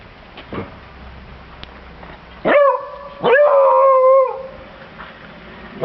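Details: Bruno the Beagle, a family pet, sounds a short rising yelp, pauses briefly, then holds a longer wavering howl for about a second, with a quiet background.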